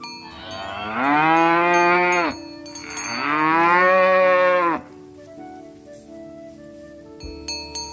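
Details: Cattle walking through mud, calling companions to return to the barn, herded in a rice field: two loud, long, harmonically rich moos, each about a second and a half, with a faint steady tonal hum and clinks in the background.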